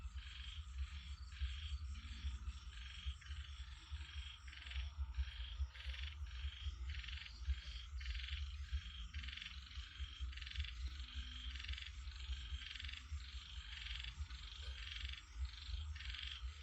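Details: Frogs calling in a dense chorus: rasping, pulsed bursts repeated about twice per second with little pause, over a steady low rumble throughout.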